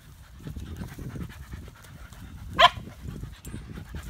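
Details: Odin the German Shepherd pants eagerly, wanting to play: quiet rhythmic puffs of low, breathy exhalation in quick succession, broken by one sharp click just past the middle.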